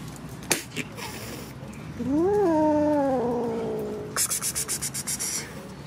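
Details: Kitten giving a single drawn-out meow that rises, then holds level before fading, about two seconds long; a sharp knock comes before it and a quick run of rattling pulses follows.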